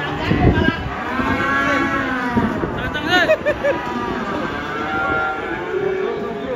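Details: Cattle unloaded from a truck, one angry; loud moos with quavering harmonics, a sharp wavering bellow in the middle, over handlers' shouts.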